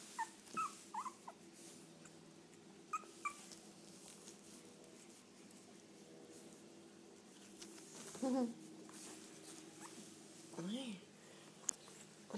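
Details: Tiny teacup Chihuahua puppy giving short, high whimpers, two brief wavering cries near the end, amid faint voices and background television chatter.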